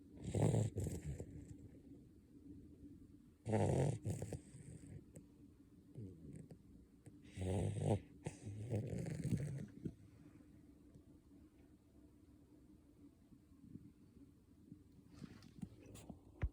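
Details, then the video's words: Basset Hound puppy snoring while asleep, soft low rumbling snores in bursts about every three to four seconds, with quiet breathing between them and a faint steady hum in the background. "the Basset Hound Snoring"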